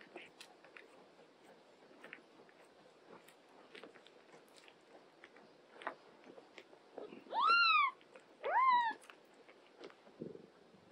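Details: Domestic cat meowing indoors, an older cat caring for a young mother cat and her kittens; two loud rising-falling harmonic meows near the end about a second apart, preceded by soft clicks and small rustling sounds.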